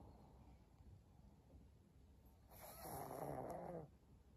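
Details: Elderly pug, recorded 14 April 2022, breathing softly before one drawn-out, raspy snore of about a second and a half that rumbles through the nose and throat, then fades back to quiet breathing.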